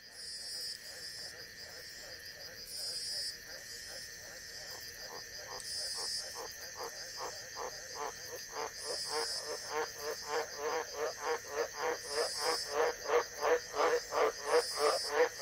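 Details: White's tree frogs (Australian Green Tree Frog) in the wet season in northern Queensland give long series of deep, rasping croaks that speed up and grow louder; multiple frogs may call, Ornate Burrowing Frog calls possibly towards the end.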